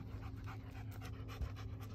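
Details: One-year-old female Great Pyrenees panting after chasing a man; quick, rhythmic breathy pants, about six per second, with a low hum beneath.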